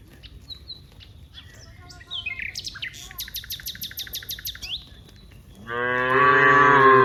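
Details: Cows in a herd of dozens in a wide rice field; birds chirp and twitter for most of the clip, then one loud, drawn-out, harmonic moo rises near the end.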